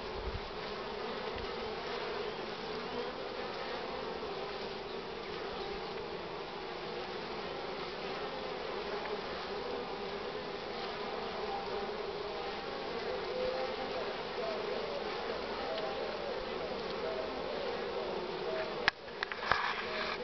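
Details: Honey bees packed at the hive entrance carrying full loads of pollen, strong sun with cool air, 24 March 2019 at 9:45 in the morning; an even, unbroken colony hum throughout, with a couple of sharp clicks near the end.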